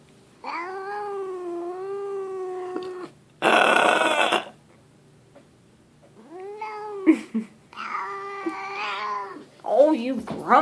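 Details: Grumpy cat Leo caterwauls indoors while held: long wavering moaning yowls separated by a loud burst of broadband noise, followed by shorter arched cries and a person's voice.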